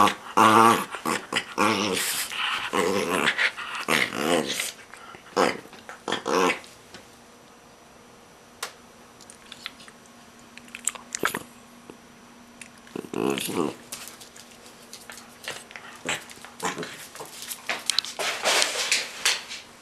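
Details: A Miniature Pinscher attacking a stuffed toy sheep growls and snarls in short, rough bursts, with brief whimpering squeaks between.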